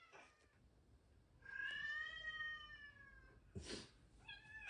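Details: Norwegian Forest Cat indoors, frustrated at being roughly handled by a baby and taking it out on its dad: one long drawn-out meow with stacked harmonics, steady then slightly falling, then a short noisy burst and a brief second meow.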